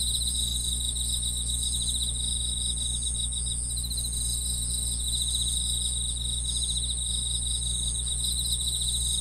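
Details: Continuous insect chirping from the grass, with fast rhythmic trills layered over a sustained piercing tone. Bursts of pulsing come in waves every few seconds over a faint low hum.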